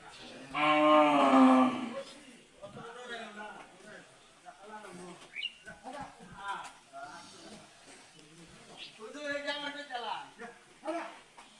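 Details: Cattle on a farm, called crazy, give a loud, drawn-out, harmonic moo in the first two seconds. Quieter lowing and people talking and laughing follow, with faint music in the background.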